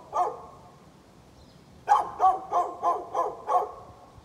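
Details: Barking of a neighbor's dog, recorded outdoors in November: one bark, a pause, then a rapid run of five barks about every third of a second, over quiet background hiss.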